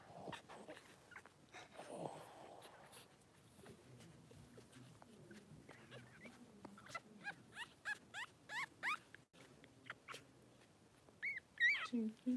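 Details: Four-day-old newborn Blenheim Cavalier King Charles Spaniel puppies from Remy's first litter of six in an indoor puppy pen: a run of short, high squeaks and faint clicks, then a thin, rising whimpering squeal near the end.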